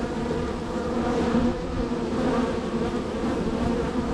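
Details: Busy honey bee colony at hive three, with heavy traffic at the entrance; continuous layered buzzing with steady mid-pitched humming bands and brief brighter passes of individual bees.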